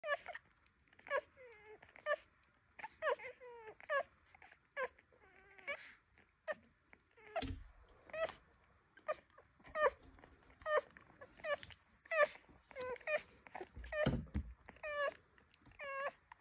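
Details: Little Rhodesian Ridgeback puppies at feeding time whimper and squeal over and over, about once a second: high, wavering, harmonic cries that rise and fall, with soft shuffling and clicks between them.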